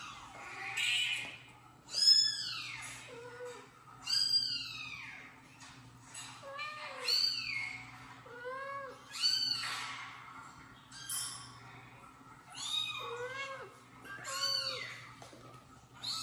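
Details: Kitten meows played from a phone in a home where a mother cat washes her kitten and a father cat and second kitten are near; high, arched, harmonic meows repeat about every two seconds, some with short lower mews between.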